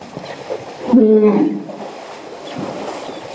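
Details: An elephant in a herd in Botswana, heard at close range, gives a single half-second call: strong and tonal, with stacked harmonics and a rough, brassy edge, rising out of soft rustling and a quiet, breezy background.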